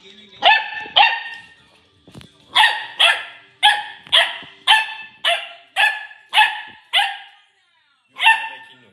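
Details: Lily, a corgi puppy, barking at a cup indoors: a pair of sharp barks, a pause, then a run of eight evenly spaced clear barks about two per second, and one final bark.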